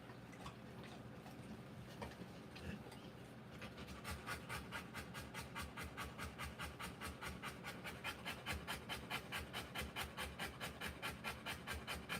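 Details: During the live birth of Rottweiler puppies, the dog begins with quieter, irregular breathing, then settles into strong, regular panting at roughly 143 breaths per minute.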